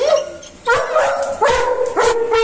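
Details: Dog meeting its owner after three months, giving three loud, high, drawn-out whining yelps, each sliding slightly downward, with a man speaking softly in Nepali.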